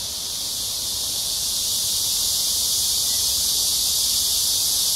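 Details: Loud cicadas fill an early summer evening on July 26, 2021, at Amsa Ecological Park by the Han River in Seoul, South Korea, amid a heat wave: an intense, unbroken high-pitched hissing buzz that gradually grows louder.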